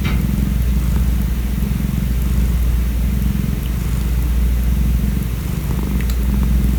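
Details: A calico community cat, cared for by its feeder for about five years, purrs steadily: a low, continuous rumbling throb with rhythmic pulses, close and loud, with a faint hiss of background noise.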